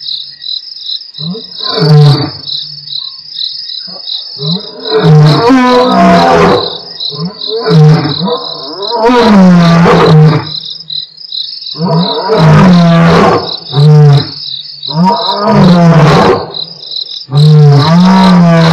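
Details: Two male lions of the Mapogo Coalition at Nkorho, 12/11/07, roar in deep, moaning grunts that repeat in a rhythmic series over a steady, high-pitched insect chorus.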